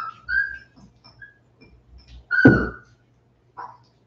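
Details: West Highland White Terrier puppies, 47 days old, indoors after an outdoor break: a high whistled whine that slides level, then a sharp loud yelp with a trailing whine, and a short final whimper in a quiet room.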